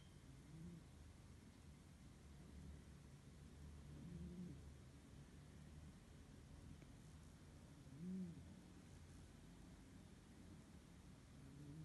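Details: Pasha the cat sleeping and snoring: soft, low rasping snores rise and fall about every four seconds over a steady low hum.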